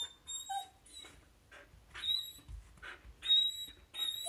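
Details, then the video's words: Pet Samoyed indoors whining because her best dog friend is walking past the house and it is not yet time to play; high, thin, kettle-like whistled whines in short bursts, with a person saying sit, quiet, good. "Samoyed impersonating tea kettle"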